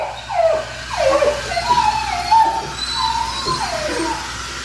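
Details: Black tri male puppy, neutered, whimpers while being bathed: drawn-out whines that rise and fall, some bending sharply downward, repeated about every second over soft background noise.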